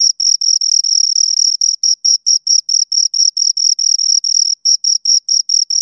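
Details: Two crickets chirping together, a steady high-pitched trilling of short pulses packed into quick chirps, roughly two per second, some running together into longer bursts; no other sounds.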